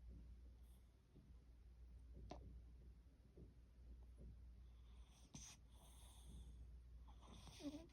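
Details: A rescued pet cat snoring with an unusually quirky style indoors in a small room: soft, wheezy, snorting breaths repeat irregularly at low pitch over a steady low hum, with a few brighter hissy bursts near the end.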